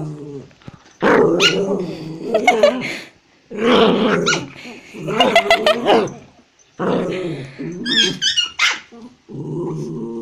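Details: Pet dogs in Kathmandu, Nepal, scuffling as a toy Pomeranian goes for a Japanese Spitz; loud snarling growls come in long bouts split by short yaps and snaps, with a woman speaking between the outbursts.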